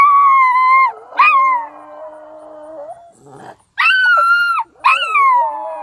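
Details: Howling dogs at Mt. Carmel, Tennessee, reacting to horn sounds coming from the sky; loud bursts of high wailing howls, each falling slightly, separated by a quiet stretch with a lower sustained tone.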